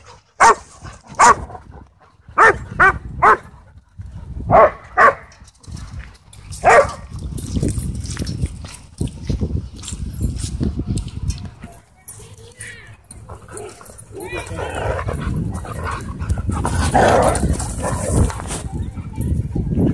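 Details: At a dog park, a husky plays with other dogs. A quick burst of sharp, clipped barks in the first seconds gives way to a noisy scuffle of growls, panting and rustling against a low rumble.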